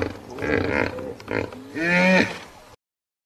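A hippopotamus gives deep, rumbling grunts that swell into a loud, harmonic, rising bellow.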